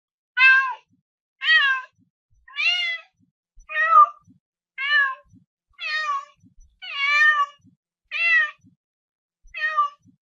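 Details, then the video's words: Domestic cat meowing indoors: nine short harmonic meows, each about half a second, repeated roughly once a second with slightly falling or arched pitch and clean silence between. "SOM DE GATO"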